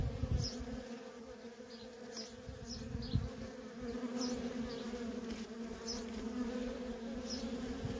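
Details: Worker honey bees in nonstop traffic at a feral colony, a dense steady hum centred low with a strong droning band and overtones, swelling and fading slightly as bees pass, with faint high chirps from distant birds.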